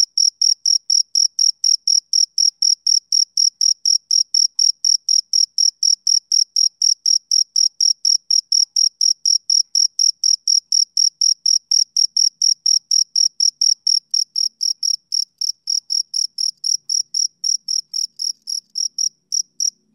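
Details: A male cricket calls through a summer evening with a long, regular series of high, ringing chirps near four per second, fading slightly toward the end, with a quiet, otherwise empty background.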